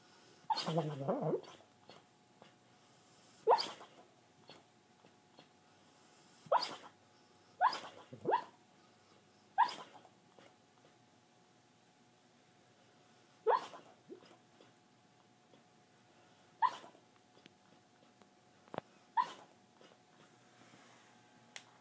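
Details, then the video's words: A sleeping female dog, dreaming, gives short, breathy huffs and puffs at irregular intervals, each a quick hissing whoosh likened to a turbo car's blow-off valve. "Dog makes blow off valve noise while sleeping"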